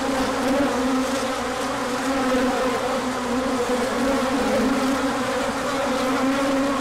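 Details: Orientation flight of numerous bees outside the hive on 24 March 2024, sun out after cold days, pollen arriving later; thick unbroken humming of overlapping wingbeats, steady loudness with tones sliding up and down.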